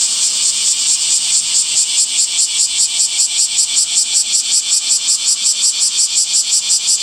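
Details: Summer cicada calling, a high buzzing song pulsing in quick regular beats, about two to three pulses per second, over a constant shrill background drone.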